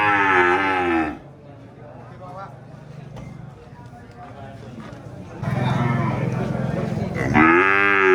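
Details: Cow mooing: a loud harmonic moo in the first second, then a low quieter stretch, then two more strong moos from about 5.5 seconds, the last rising and bending in pitch.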